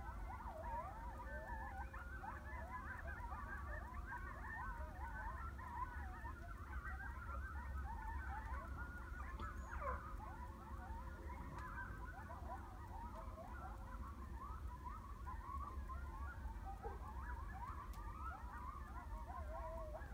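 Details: Coyote singing around 2 a.m. in Heath, Texas; faint, distant wavering howls and quick yipping notes tumble over one another continuously, beneath a steady low rumble of background noise.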